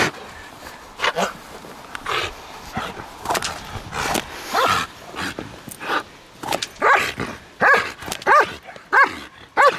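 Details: Trained female German Shepherd at Kraftwerk K9 barks in an uneven series that grows into quick, regular, ringing barks roughly every two-thirds of a second toward the end, with scattered handling noises earlier.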